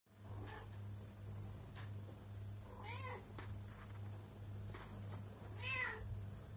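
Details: Pregnant domestic cat coming to its owner's feet, meowing and purring as if to say something; two clear harmonic meows rising then falling, with fainter ones between, over a steady low electrical hum.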